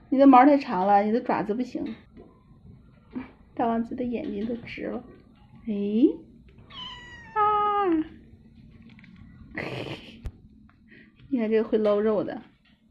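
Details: Several kittens indoors, excited at the sight of meat, cry together to demand food: bursts of drawn-out, wavering meows, some high and falling, repeated every second or two, with a woman chatting in Mandarin between them.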